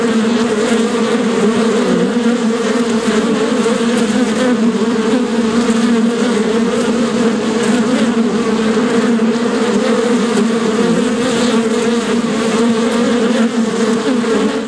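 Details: Long, continuous bee buzzing: a thick, even drone with strong harmonics and gentle rises and falls in pitch, sustained without pause.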